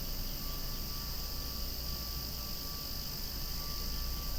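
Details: Loud cicada chorus beside swaying flowers, an unbroken, even, shrill buzzing wash that holds steady throughout, layered over a deep continuous rumble.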